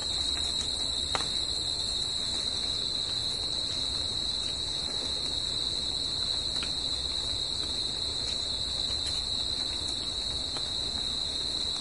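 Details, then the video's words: Night chorus of crickets in nature, a continuous shrill ringing at a constant high pitch with a weaker upper tone, steady in loudness for the whole stretch, faint background hiss below. "CRICKETS AT NIGHT"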